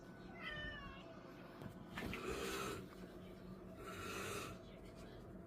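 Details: Affectionate pet cat on New Year's Day 2025 gives a few short, soft meows, the first rising and falling, while a woman coos and talks to it and a man snores in the background.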